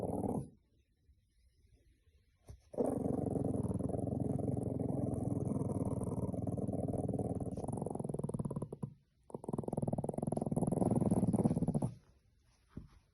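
A Boston Terrier puppy makes long, low, rumbling grunts in two sustained bursts.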